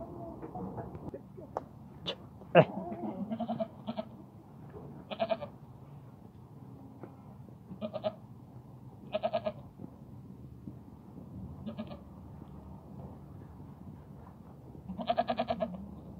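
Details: Goats from a herd of thirteen with a buck, including breeding does and young, at Al-Arfa, Taif. Wavering, harmonic bleats come in short bursts about every two to four seconds, five or more in all, over steady low background rumble.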